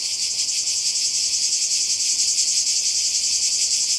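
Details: Croatian seaside cicadas in summer 2020 produce a dense, sizzling high whine, softly throbbing several times a second without a break.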